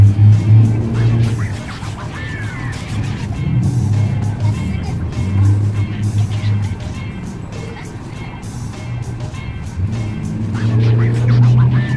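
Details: Music plays over a running vehicle engine with passing cars and occasional speech, and no animal voice stands out.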